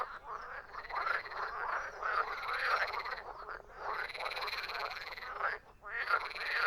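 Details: Many frogs croaking at once, rasping, trilled calls rising and falling in loudness, with a short lull near the end before the chorus surges back.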